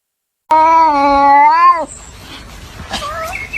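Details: A cat gives one long, drawn-out meow lasting over a second. It holds steady with a slight rise, then drops off sharply, and faint quiet sounds follow.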